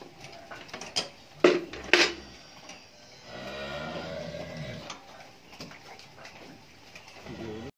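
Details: Friesian dairy cow that has calved twice and has a heifer calf, kept on a dairy farm in Pabna, Bangladesh: one low, drawn-out harmonic moo of about a second and a half mid-recording, after sharp clattering knocks, in an enclosed barn.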